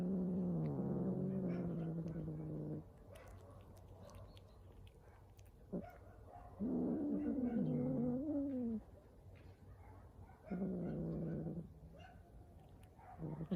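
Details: Hungry stray cat vocalizing while it eats on the street: three long, low, rough moaning growls, each around two seconds, the middle one wavering upward, separated by soft chewing clicks and smacking.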